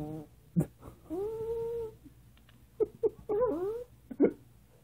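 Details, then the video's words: Female Maltese indoors making funny sounds: a short grunt, a sustained tonal whine, then a run of brief grunts and a rising-falling whine, while a woman's voice says no, no and asks for a kiss. "Maltese Sasha Making Funny Sounds"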